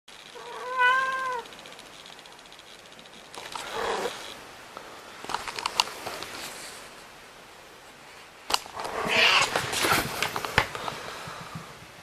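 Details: Pet cat at home gives one clear, wavering meow with stacked harmonics near the start, followed by rustling, clattering handling noises and scattered knocks.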